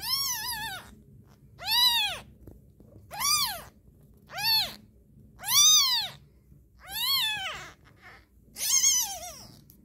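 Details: Young kitten crying insistently: seven sharp, arched mews of rising-then-falling pitch, repeated roughly every 1.4 seconds, some longer and louder than others, quiet room hum behind.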